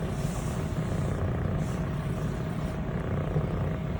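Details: Purring of Elle, a female fluffy longhaired Scottish Fold kitten, 25 weeks old, brown tabby and white, while being petted; an unbroken low thrum, with light rustling of fur and hands early on.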